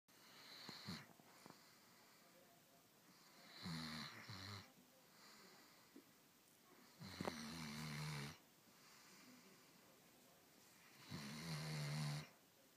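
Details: Blue, a dog, snoring indoors: four long raspy snores about every three and a half seconds, each a rough, buzzy breath with a low droning tone, separated by quiet pauses.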